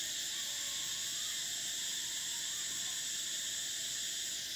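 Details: Summer cicada chorus, a continuous shrill metallic whine spread over several stacked high tones, unwavering and without pauses for the whole short stretch, loud and even from start to finish.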